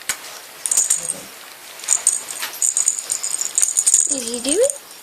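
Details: Kitten playing indoors among littermates gives a short wavering meow near the end, dipping then rising, after a stretch of rattling, jingling play noises and thumps.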